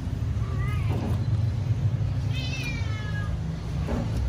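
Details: Pet cat meowing loudly while waiting for food to be served: two drawn-out meows, the second higher and falling, over a strong low rumbling background hum.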